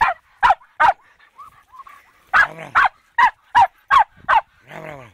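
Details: Fox terrier barking at a wild boar during its first encounter: loud, clipped barks in uneven bursts, a softer whining stretch after the first few, then another quick string of barks and a low, drawn-out harmonic sound at the end.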